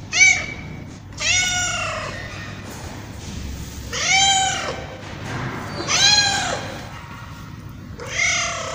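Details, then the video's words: Domestic tabby cat giving drawn-out, arching meows spaced a second or two apart, bright and harmonic, with a quieter low rumble and faint noise filling the gaps. "Tabby Cat Meowing"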